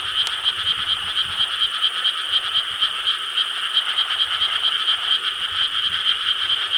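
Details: Night recording from 4 July 2013 of frogs croaking in Korean rice paddies: a loud, dense chorus of rhythmic, pulsing croaks, beating in quick waves, with a click at the start and soft low rumbles.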